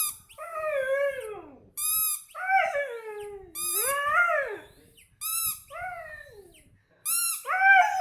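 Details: A Siberian Husky behaving wildly on hearing a squeaky toy gives drawn-out, yodelling whines that bend up and down, between sharp squeaks of the toy.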